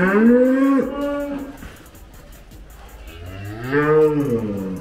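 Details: Gama F1 breeding cow (Belgian Blue x Brahman) resisting handling during weighing; two loud harmonic moos, the first long and level, the second rising then falling, with a quieter rumble between.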